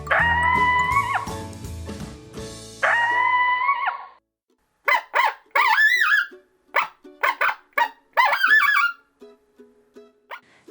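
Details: Coyote, a desert animal said to often howl at night; after a brassy musical jingle, a run of sharp high yips and short wavering howls rising and falling, about eight bursts over five seconds, then fading.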